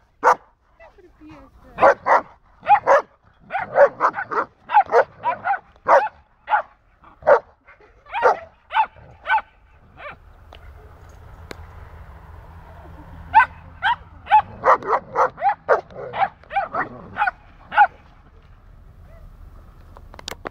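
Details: Border Collie Diego and a dog from beyond the fence barking: a long run of rapid, evenly spaced barks, a pause with low background rumble, then another quick volley of barks.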